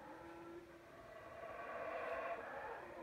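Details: Background howls of howler monkeys at the Palenque palace ruins, heard as a steady droning roar of stacked tones that slowly swells louder and then eases off.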